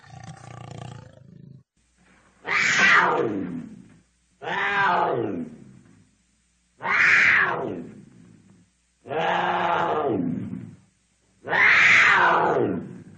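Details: A cougar gives a run of rough, grating roars. A lower, muffled growl comes first, then five loud, hoarse screams roughly every two and a half seconds, each dropping in pitch and trailing off.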